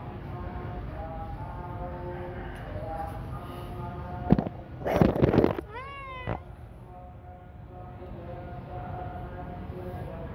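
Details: Domestic cat giving one short meow near the six-second mark, falling in pitch with strong overtones, after a burst of rustling and clatter; a low, steady hum of voices or a television runs underneath throughout.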